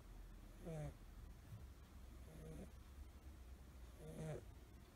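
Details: Curled-up sleeping American Shorthair kitten Suzu, a five-month-old blue tabby male, snoring about as loudly as a person: three rasping, nasal snores spaced about 1.7 seconds apart, with a faint low hum.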